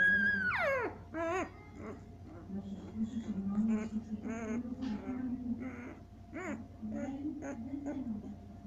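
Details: Seven-day-old Siberian Husky puppies squealing indoors: a sharp falling whine opens, then a run of short, stacked, wavering whimpers at irregular intervals over a steady low hum and soft voices.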